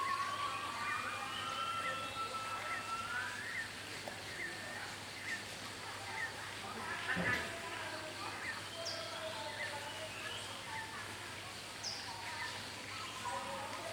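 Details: Gibbons give rising, whistled hoots over a steady hiss of forest noise at park headquarters, Cat Tien National Park, Vietnam, where zebra doves, bulbuls, barbets, coucal, babbler and monarch also call.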